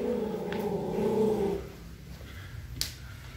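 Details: Yorkshire Terrier, described as very unsure, growling low and steady indoors for about a second and a half, then falling quiet, with a sharp click near the end.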